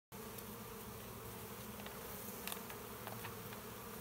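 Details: Honey bees at a hive in Vendée, France: a steady, low droning hum with layered harmonic bands that holds evenly throughout, with a few faint clicks and taps.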